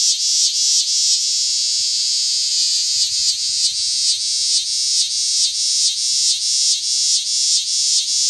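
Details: Big green cicada from Lancaster County, Pennsylvania, August 18, 2016: a harsh, high buzzing that throbs in regular pulses, close to two per second, with no other sounds.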